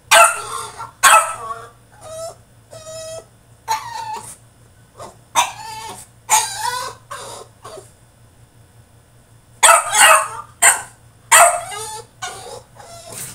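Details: French Bulldog throwing a tantrum in his cage: loud bursts of harsh barking and yelping alternate with shorter whining notes, clustered at the start, middle and end with quiet gaps between, and a steady low hum underneath.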